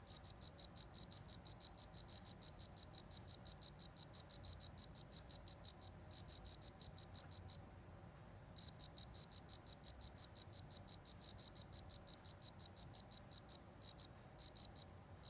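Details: A countryside cricket chirps in quick, evenly spaced high pulses, stopping for about a second midway and briefly again near the end before resuming; soft low background noise.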